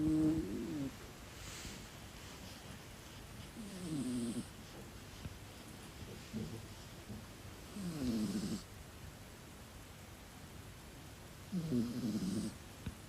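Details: Sleeping black British Shorthair cat snoring loudly indoors; four rasping snores, each about a second long, spaced roughly every four seconds, with faint hiss in the background.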